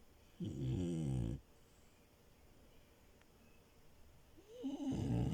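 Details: Milo, a French Bulldog puppy asleep on a bed, gives a loud, rattling snore lasting about a second, then silence, then another snore begins with a slight whistling edge.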